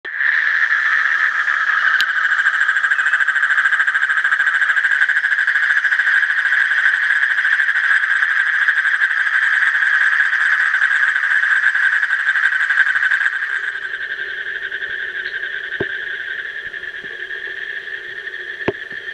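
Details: Asian common toad giving a long, steady, rapidly pulsed trill, continuous for about thirteen seconds, then fading into a quieter trill layered with a lower-pitched drone and a few sharp clicks.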